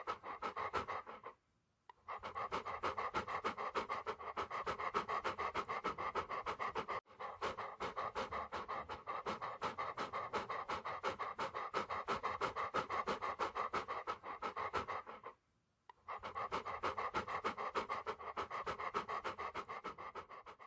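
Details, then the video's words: Rapid rhythmic panting from a dog, steady breathy rasps around three per second, broken by two short silent gaps before resuming at the same pace. "Dog Breathing Sounds"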